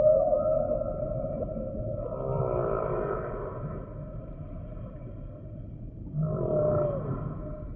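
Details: Humpback whale song with sustained wavering tonal moans, a rippling pulsed unit in the middle and another near the end, against a steady low-frequency wash.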